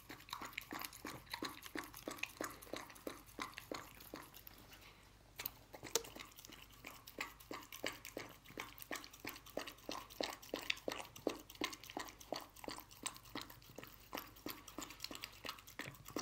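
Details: Dog eating canned dog food indoors in a small room: rapid wet chewing and biting clicks, about three per second, loose in rhythm and steady throughout, with one brief pause near the middle.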